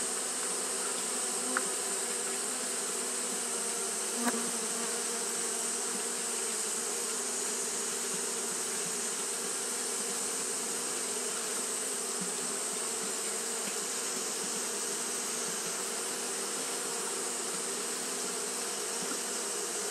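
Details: Continuous fanning buzz of Japanese honey bees on a hot day, an even droning hum broken only by two short sharp clicks early on, with a steady high hiss behind.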